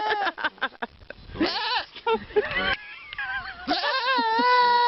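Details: Goat bleating among voices: a burst of short, choppy bleats and chatter, then a sustained, trembling bleat that wavers up and down for more than a second, mixed with human speech.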